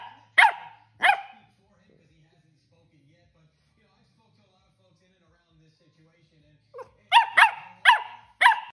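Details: Corgi throwing a tantrum: two sharp barks, a long quiet pause with faint low grumbling, then a burst of four rapid harsh barks.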